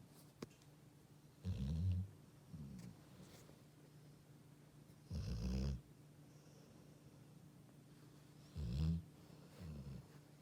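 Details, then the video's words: Sleeping Labrador Retriever snoring indoors: low, rumbling snores in irregular bursts about every three to four seconds, with quieter breaths between them in a small, otherwise quiet room. "리트리버 코골이"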